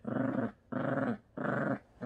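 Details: A Lhasa Apso and a Yorkshire Terrier play on a bed, and a small dog gives rough, buzzy play growls in bursts of about half a second, with short pauses and slight rises and falls in pitch.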